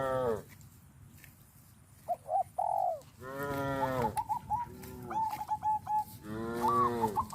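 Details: Tame herd cows heading in an orderly line to grazing fields on a village farm. Four deep, swelling moos stand out, separated by quiet gaps and bursts of fast, high chattering bird notes.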